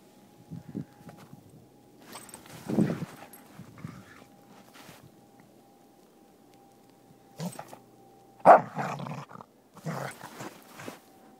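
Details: Soft Coated Wheaten Terrier playing in the snow with a stick in winter; a few short, gruff barks or growls come in separate bursts with quiet gaps between, over a faint steady hum.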